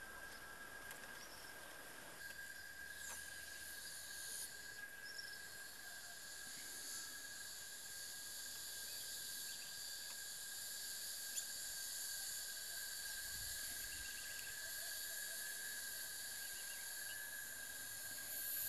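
A cicada's steady, shrill buzzing drone, the male's call to attract a mate.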